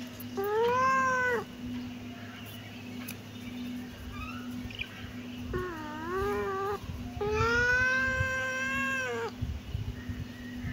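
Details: Kitten meowing: two long, loud harmonic meows with a steady, slightly arched pitch, plus a shorter wavering meow between them, over a constant low hum.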